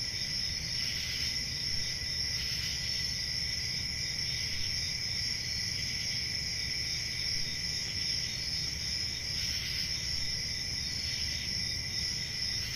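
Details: Many crickets trill together without pause, shrill stacked tones that pulse slightly brighter now and then, above a low background drone.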